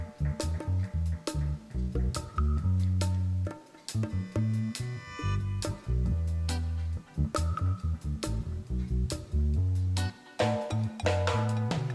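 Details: Guitar and bass music plays throughout, with rhythmic plucked notes and no animal voice.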